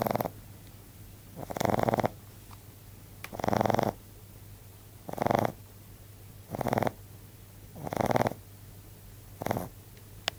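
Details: A 14-week-old male Frenchbo named Bon snores heavily while asleep, each gravelly, buzzing snore lasting under a second and repeating roughly every one and a half seconds.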